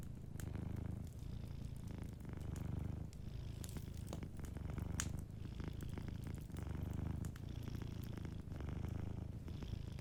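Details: Soft purring from a sleeping cat next to a warm fire, the rumble pulsing in regular breath cycles roughly every one and a half to two seconds, with light crackling from the fireplace.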